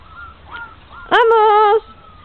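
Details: Belgian Shepherd Groenendael puppies, 25 days old, loose in a garden for the first time and not yet seeing well: one drawn-out tonal whine about half a second long, steady then slightly falling, after faint quieter cries, with a person coaxing them.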